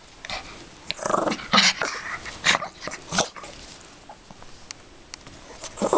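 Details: A female Yorkshire Terrier playing with her toy bunny gives short, scrappy growls and sharp yips in quick, irregular bursts.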